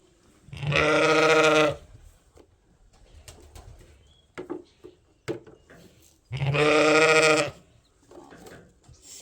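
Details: Sheep bleating on a farm while twin lambs are tagged and fed; two loud, drawn-out bleats about five seconds apart, with rustling and handling noises between them.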